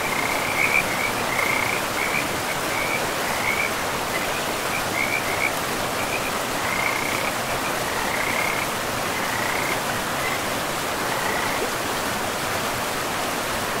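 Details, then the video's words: Frogs along a forest river among moss-covered land give short, high trilling bursts at uneven intervals. The calls grow fainter and sparser later on, half-buried in the roar of running water. "River and Frogs sleep sounds"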